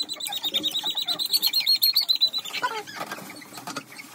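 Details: German Pointer puppy squealing during nail trimming: a thin, high, sustained cry pulsing about four times a second for two seconds, then a few short falling yelps amid scuffling and handling noise.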